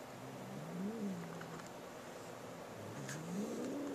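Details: Boo, a male pet cat, growls while guarding a new feather toy from his little sister Molly: low wavering tonal moans rising and falling, one near the start and another swelling toward the end.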